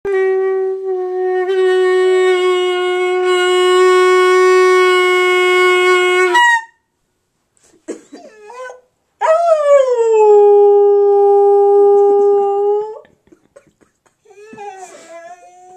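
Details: Pet dog named Auggie singing along to a clarinet: a long steady clarinet note plays first, then after a pause the dog gives a sustained howl that dips sharply at its start and levels off, with small yelps around it.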